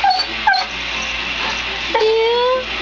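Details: Pet dog whimpering: two short, high squeaky whines early on, then after a pause a longer thin whine that slides slowly upward for nearly a second.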